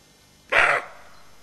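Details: A single rough, explosive bark from a roe deer doe standing alert beside her fawn, lasting about a quarter second over soft background hiss.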